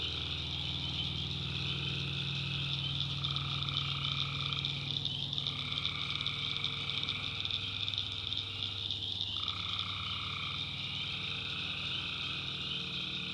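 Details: A swamp-side chorus of tree frogs at night in the North Carolina backwoods: constant high buzzing trills, with a mid-pitched voice calling in bursts that cut off twice. A persistent low drone sits underneath.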